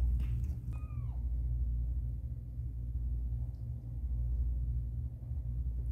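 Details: Caramel, a domestic cat, during a difficult birth of her kittens: one short mew that slides downward about a second in, over a steady low indoor hum.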